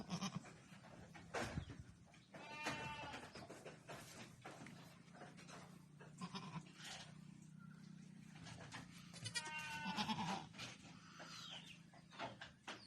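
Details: Newborn Boer goat kids, solid red males and females, on a goat farm; several short wavering bleats with bright harmonics around three and ten seconds, amid rustling, thumps and low steady hum.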